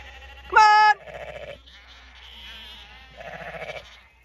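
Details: Ewes being fed on a regenerative farm in County Kilkenny, Ireland: one loud, clear, wavering bleat lasting under half a second, followed by softer murmuring background sounds.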